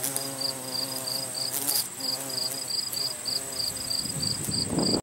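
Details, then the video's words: Carpenter bee collecting pollen in botanical gardens, filmed 3 September 2020: a steady, low humming buzz with rich overtones runs through most of the recording, beside regular high-pitched insect chirps and a faint continuous whine. "Carpenter Bee Collecting Pollen"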